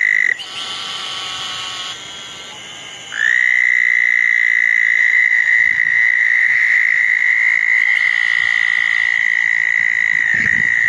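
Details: Several southern toads chorusing at small ponds after a thunderstorm on a wet June night in 2014; one quieter trill fades out near three seconds, then a loud, even, sustained high trill takes over and continues to the end.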